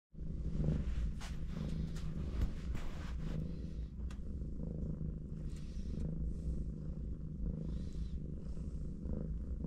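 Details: Mother cat resting and cuddling with her four kittens, purring steadily: a continuous low rumbling throb with soft pulses, a few faint rustles and clicks above.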